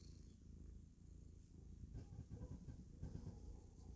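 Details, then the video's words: Pet cat, a happy female kitty playing the clown, purring in a continuous low pulsing rumble that swells slightly in its second half. "Kitty Cat is happy when she clowns around"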